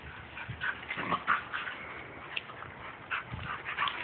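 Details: Several pet dogs playing with a child in a backyard, giving short high yips and whimpery barks in quick irregular bursts over steady background noise, with a brief low thump partway through.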